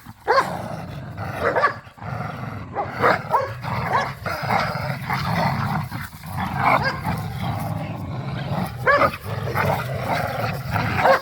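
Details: Pit bulls and a Malinois playing tug of war in a yard produce continuous low, rumbling growls and snarls, broken by scattered barks and scuffling noise throughout.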